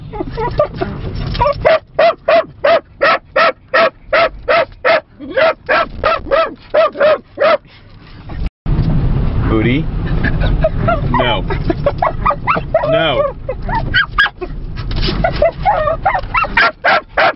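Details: Two pet dogs, a dorkie and a Yorkie puppy, barking during a car ride through scenic Lancaster County. Sharp barks come in quick runs of about three per second, with a pause midway. A man scolds them throughout.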